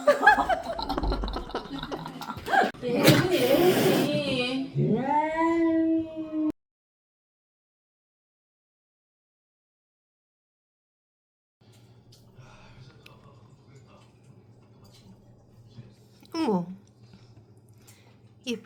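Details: Rescued street cat hissing at a young woman of the household. Harsh, noisy hissing bursts come first, then a drawn-out, falling, growling wail. After a pause, soft voices, laughter and a brief high squeal follow.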